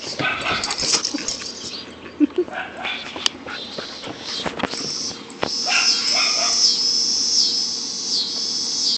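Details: Two German Shepherds, a 10-month-old female and a 3-month-old male puppy, playing together in a backyard: rapid bursts of short, harsh barks and growly noises over the first five seconds, then steady hissing noise, with some human voice.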